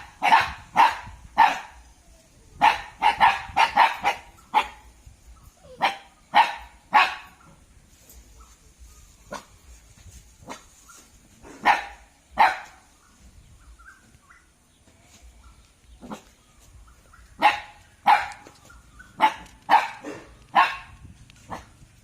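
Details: Roused Thai Ridgeback barking repeatedly, sharp loud barks in irregular bursts, a rapid cluster early, scattered single barks through the middle, then another lively volley near the end.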